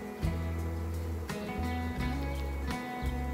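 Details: Strummed acoustic guitar music with steady low bass notes; no animal sound is heard. Only the instrument carries through, with no buzzing or other calls beneath it.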